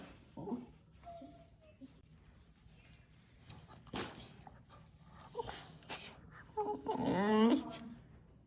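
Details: Pet dog making funny sounds indoors in a small room. Near the end comes a wavering, groaning whine lasting about half a second. Short human voice sounds and scattered household clicks come before it.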